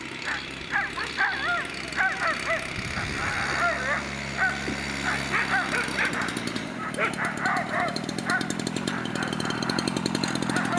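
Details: Season-ending Makkarajuoksut race for Afghan Hounds in Tampere on 2 October 2016. Many sharp, pitched yelps and barks overlap in quick runs, with voices and a humming engine drone underneath and a broad noisy rumble in the second half.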